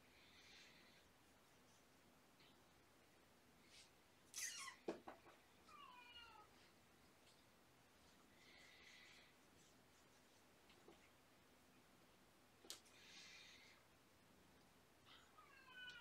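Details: Three shelter kittens, born November 22 and surrendered with their mother, awake in the morning: thin, high meows, some with rising-falling bends, come in irregular bursts, with sharp knocks and rustling around the fifth second, in a small room.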